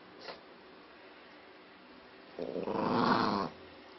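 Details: Angry Maltese dog indoors giving a short rough growl of about one second near the end, after a faint brief sound at the start; otherwise quiet room.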